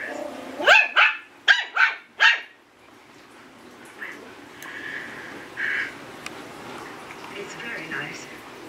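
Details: Eight-week-old Yorkie puppy giving its first barks: five thin, high yaps packed into under two seconds, followed by faint whines and a quiet room, with a person speaking softly.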